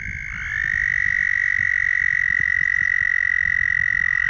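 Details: A frog gives a long, steady, high-pitched trill holding one even pitch over faint low rumbling, among hundreds of courting males calling to attract females on Bald Eagle Lake, Minnesota.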